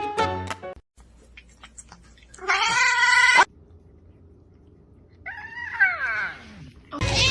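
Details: Pet cat giving loud, strained caterwaul-like meows, first a steady wail and then a longer one that wavers and falls, over a low background hum.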